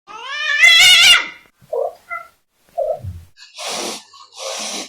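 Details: Cats chatting indoors: a loud wavering, rising-and-falling meow, then short soft murmured chirps and two breathy hissing bursts.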